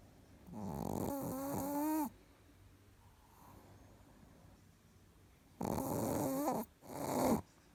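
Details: Sleeping Chihuahua Richard snores in three bursts, a long wheezy one with a wavering whistle inside, then a pair close together after a few seconds of quiet room tone.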